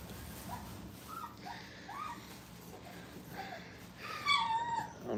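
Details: Five-week-old dog puppies playing at a training kennel; soft rising whimpers come in short bursts, then a louder drawn-out whine near the end, over a low indoor hum.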